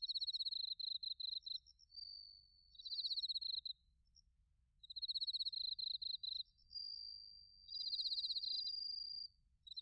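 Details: Autumn insect chorus of bell crickets and crickets, recorded in Narita, Chiba, Japan with a TASCAM Portacapture X8: loud high trilled bursts about every two seconds, with a softer sustained ringing note joining in.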